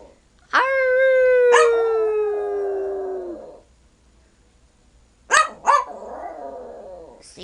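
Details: Tiny 12-year-old male Yorkshire Terrier, about five pounds, singing on cue for family: one long clear howl sliding slowly downward for about three seconds, a pause, then two sharp yelps and a softer wavering whine, with coaxing voices.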